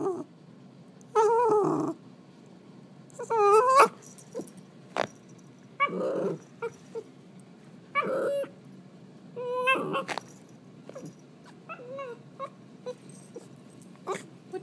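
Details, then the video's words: An eight-month-old Shiba Inu, prompted to speak, producing a series of wavering whines, yodelling howls and gruff grumbles in bursts roughly every two seconds, with brief quiet gaps. "Shiba Noises--8 Months"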